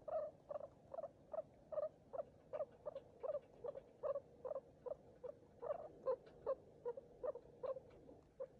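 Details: Baby skinny guinea pig, a hairless pup abandoned by its mother and hand-fed milk, which lived only ten days: steady series of short, mid-pitched squeaking chirps, about two to three per second, evenly repeated.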